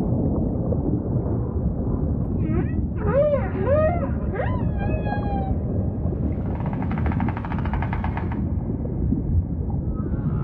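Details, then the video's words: A humpback whale sings a quick series of swooping, arched whoops, each rising then falling, followed by a grating pulsed buzz lasting about two seconds, against a continuous low rumble of sea noise. "Majestic Whale Song · beautiful humpback & ocean ambience"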